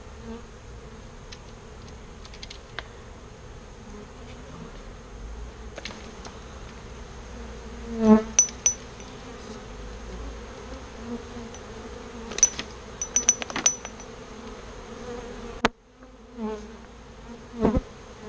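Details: A birdhouse full of bees, rescued and transferred into a real bee box, hums steadily while clicks, taps and one sharp knock from handling break through.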